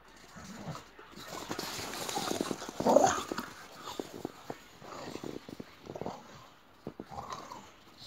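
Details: Playful boxer dogs in a game of chase, with a loud rough growl in the middle, softer whines and grumbles before and after, and constant patter of running paws.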